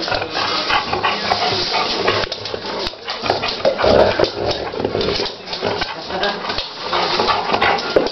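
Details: Golden retriever named Luck, a pet dog, insistently asking for his favourite tennis ball; rough, noisy vocal bursts repeat through the clip, mixed with a person talking in Romanian indoors.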